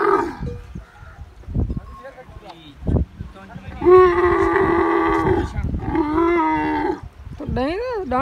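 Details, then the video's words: Camel calling in a desert setting: long, rough, strongly harmonic groaning bellows lasting several seconds each, broken by short pauses, ending in a rising-falling moan, with low thuds and faint voices between calls. "Camel Sounds Videos | فيديوهات أصوات الجمل | Camel Sounds | أصوات الجمل | Camel sound"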